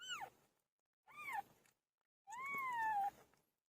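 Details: Domestic cat named PILO while giving birth, indoors; three meows, the first short and falling, the second brief and dipping, the third longer, rising then slowly sliding down, separated by silent pauses.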